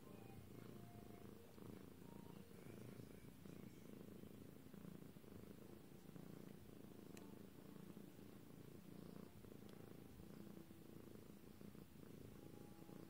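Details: Purring from a lilac British Shorthair cat, a constant low rumble holding steady for the whole stretch, with a faint high tone and a couple of soft clicks.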